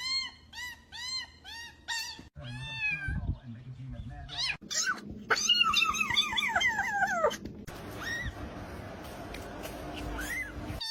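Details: Domestic cat meowing in a quick run of short, arched, high meows, then louder, drawn-out meows that slide downward in pitch. A person talks and music plays in the background.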